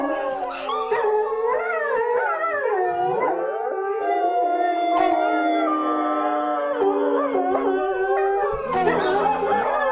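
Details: Chorus of dogs howling continuously, long sustained notes bending and sliding in pitch, several voices layering, with a held mid tone and a fresh burst of rising howls near the end.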